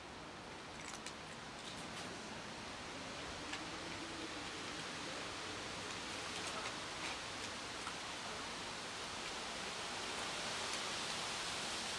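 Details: Steady broad hiss like rain or running water, with faint speech in the background and no animal voice.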